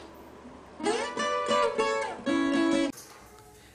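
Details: Strummed acoustic guitar chords play in short bursts, with no animal sound present.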